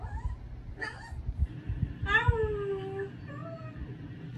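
A Boston Terrier gives short, tonal whining yowls, one drawn out and sliding downward.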